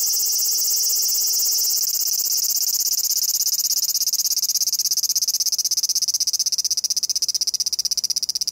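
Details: Large brown cicada, recorded on a compact camera. A continuous high grinding buzz breaks after a few seconds into rapid stuttering pulses, the choppy "gi-gi-gi" phrase it gives when it moves about.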